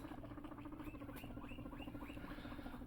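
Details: Pet guinea pig, Luna or one of her sons, at feeding time: a steady low purring drone with quick pulsed chutters and a series of short rising squeaks about every third of a second.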